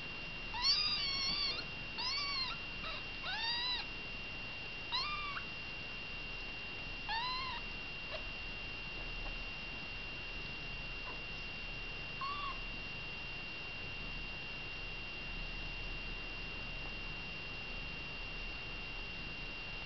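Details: Kittens with mother Baileys call in a quick run of insistent, rising-falling meows during the first eight seconds, then fall mostly quiet with one last meow later, over a continuous high electrical tone.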